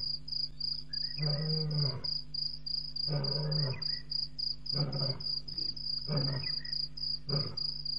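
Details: Lion at night, 01:05 on April 13, 2017, Djuma Game Reserve, after walking across a dam wall; five deep, grunting roar bursts about every one and a half seconds, each shorter than the last, over a steady high cricket chorus.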